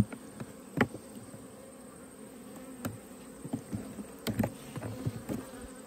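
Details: Honey bees during an autumn hive inspection in Australia. A low, steady hum sits under repeated knocks and clatter from the hives being opened and handled.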